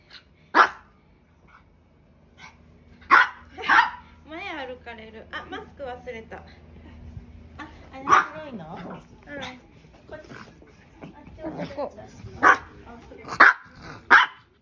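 A Maltese gives sharp, high yappy barks in scattered bursts, angry at its owner, while a person talks.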